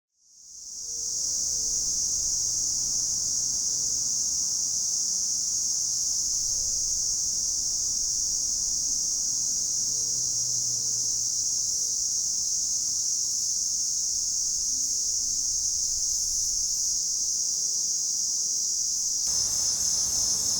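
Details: Platypleura hilpa cicada singing in July at Sanzhi, Taiwan, recorded with a Sony A7s3 and Rode VideoMic NTG; one unbroken, steady, high hissing buzz starts within the first second and holds at even loudness throughout, with faint low tonal notes beneath.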